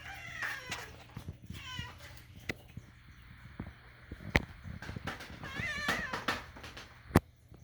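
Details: Domestic cat licking a spoon indoors and making weird kitten-like sounds while begging for food: a few short, wavering harmonic meows mixed with sharp clicks and taps.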